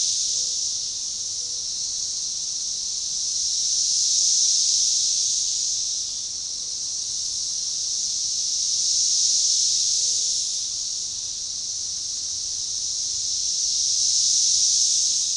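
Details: Organized chorus of Magicicada tredecassini periodical cicadas at a forest edge along a baseball trail, DeValls Bluff, Arkansas, June 7, 2015: an unbroken shrill hiss pulsing in coordinated waves about every five seconds.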